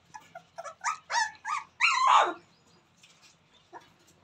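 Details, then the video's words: Newborn Rottweiler puppies at play give a quick series of thin, whining squeals with clear overtones, rising to one longer, louder drawn-out squeal, followed by quieter soft whimpers and a last short yelp. "Rottweiler dog new pappy ❤️Newborn babies playing"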